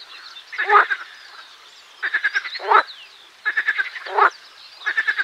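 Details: Marsh frog (Pelophylax ridibundus) singing: four rattling bursts of rapid clicking pulses, roughly one every one and a half seconds, each ending in a louder, harsher croak.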